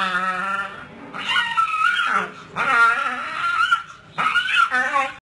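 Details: Pit bull puppies gnawing a tire set during play let out long, wavering whine-growls with a nasal tone, in three main bursts, rising and dipping in pitch.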